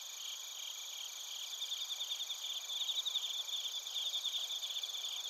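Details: Bell crickets and other crickets in Narita, Chiba Prefecture, Japan, recorded on a TASCAM Portacapture X8. A dense, high chorus of rapid pulsed chirps with a steady shrill ringing layered on top. The chirps swell slightly in the second half.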